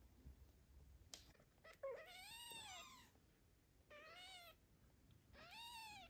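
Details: Indoors, a father cat looks after a tiny kitten while the mother is absent; three rising-then-falling, harmonic-rich meows spaced about two seconds apart, the first drawn out nearly a second, with faint rustles in between.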